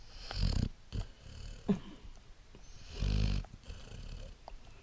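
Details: A sleeping Great Dane puppy snoring, with two loud, rasping, low snores about two and a half seconds apart and softer breathy sounds between them.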